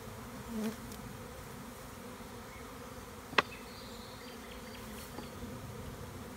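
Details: Swarming honey bees in a tree in the Tuscan Maremma countryside as a beekeeper removes them: a steady low hum, one sharp knock midway, and faint bird chirps afterward.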